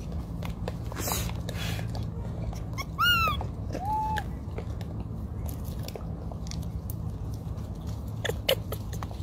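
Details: Baby macaque abandoned by its mother, lying on the ground and crying: two short tonal cries, the first a high arched wail rich in overtones, the second a lower, flatter whine a second later, over a steady low hum and scattered clicks.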